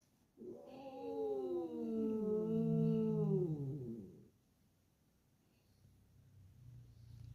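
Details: Emotional, angry domestic cat lets out a steady, wavering low yowl lasting about four seconds, then falls quiet with faint background hum.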